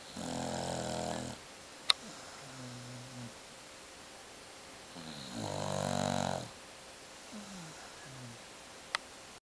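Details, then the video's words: Beagle asleep and snoring loudly, two drawn-out harmonic snores about four seconds apart, each trailed by brief whistling exhale sounds, a sharp click between them. "Snoring Beagle"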